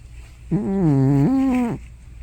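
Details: Loud sleeping noise from Hana, a grandmother cat probably over 15 years old, resembling snoring or sleep-talk: a single voiced moan of about a second, dipping low in the middle and then rising before it ends abruptly.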